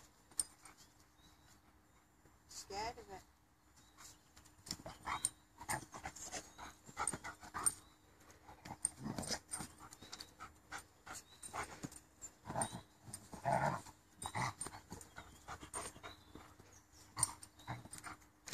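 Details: Sabre, a Rottweiler, plays with a tyre in Long Plantation, North Ferriby. He gives short, rough barks and one brief whine, with a person talking nearby.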